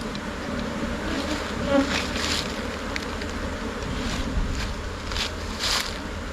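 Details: A swarming Thai colony of Asian honey bees settling into a new hive box at midday makes a constant low droning hum of many wings, with brief louder whirring surges as individual bees fly close.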